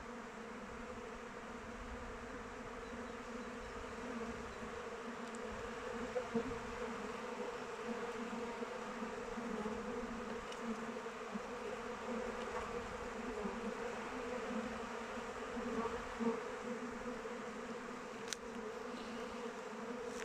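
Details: Continuous buzzing of honey bees circling their hive in open weather, a thick humming drone with occasional louder close passes and a few faint clicks, otherwise steady throughout.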